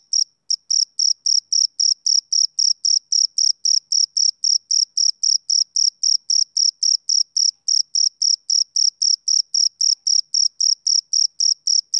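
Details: Male cricket chirping on a summer evening: a steady high-pitched pulsed trill, about four chirps a second, clean and evenly spaced, with a silent background and no other sounds.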